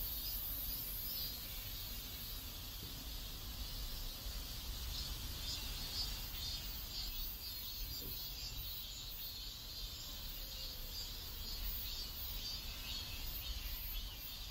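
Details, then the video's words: A neighborhood in South Korea, with a chorus of cicadas giving a continuous, shimmering high buzz that swells slightly in pulses, set against a steady low background hum. "South Korean Neighborhood Sounds Cicadas"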